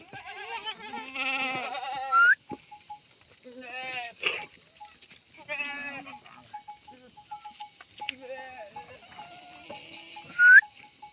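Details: Himalayan goats kept on a goat farm in the Uttarakhand jungle, India, bleating in several wavering, nasal bursts, with a cowbell clinking repeatedly and people talking in the background.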